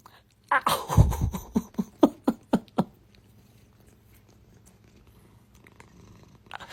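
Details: Kitten giving a burst of harsh, rhythmic pulses, about four a second for two seconds, loudest at the start and tapering off, then quiet low background hum.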